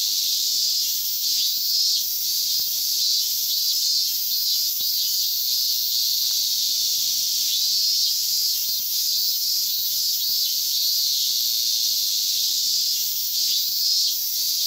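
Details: Cicadas in Inagi Central Park, Tokyo, during bare-handed catching; large brown and minmin cicadas are the species named. A dense, unbroken high buzzing chorus holds steady throughout, with faint rustles and taps below.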